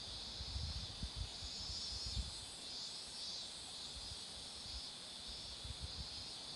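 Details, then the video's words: Cicadas droning steadily near roadside marigolds in bloom, a high sizzling hum without pauses. Soft low-pitched puffs, likely wind, come in the first two seconds. "매미소리도 들어 보세요"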